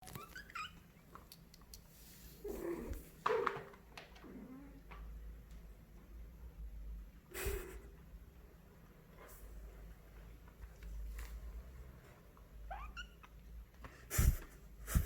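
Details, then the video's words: Kitten asking for a snack, using a sweet voice only when it sees a treat; a few short high mews scattered between quiet stretches, with a low steady hum underneath and a sharp knock near the end. "a kitten makes cute sounds only when asking for a yummy snack"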